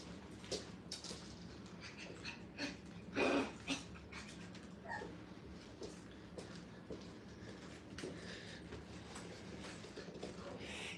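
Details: Five-week-old Brittany puppies, in a playpen for the first time at a kennel, give faint scattered whimpers and squeaks over a steady low room hum. There is one louder broad burst of clatter partway through.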